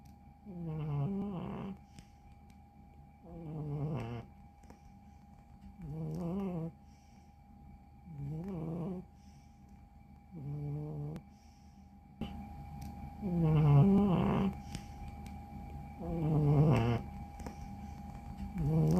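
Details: Former stray cat snoring loudly in deep sleep: low, rasping snores every two to three seconds, seven in all, growing louder toward the end.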